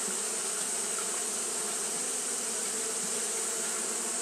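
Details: A brief stretch of Japanese honey bee fanning on a hot day: an even, low, buzzy hum with overtones, continuous and unvarying, over a bright steady hiss.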